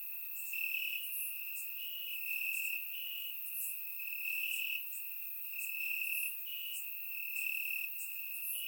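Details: Crickets in grass on a warm Bulgarian summer night, recorded with a surround microphone, keep up a high continuous trill broken into rhythmic pulses, while fainter high chirps from other individuals repeat throughout.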